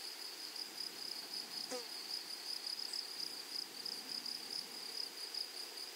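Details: Grasshoppers in a flowery meadow give a steady, high, unbroken insect buzz, with a fainter higher hum above it and a brief soft sliding call near the middle.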